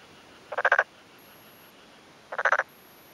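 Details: Black-spotted pond frog male, vocal sacs on both cheeks swelling, calls from a flooded, newly puddled paddy field in rural Yamaguchi, Japan, on a May afternoon, replying to a neighbouring male; two quick rattling croaks of four to five pulses each.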